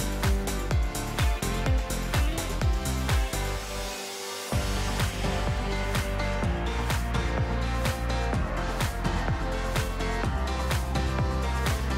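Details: Loud, upbeat pop music with a steady driving beat plays throughout, briefly thinning in the low end near the four-second mark, with no animal voice audible.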